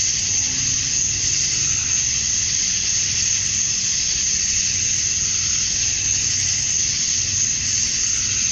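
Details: Male cicadas chorusing at dusk on a summer night in Georgia, USA, calling to attract females: a steady, dense, hissing high buzz that holds unbroken throughout, with a faint low rumble beneath.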